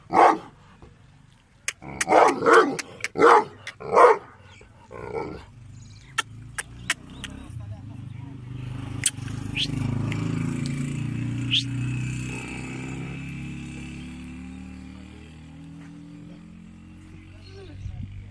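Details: Gull Dong, a strong-willed but affectionate dog, gives a quick run of four or five loud barks near the start. A long low rumbling noise with scattered clicks and faint voices follows.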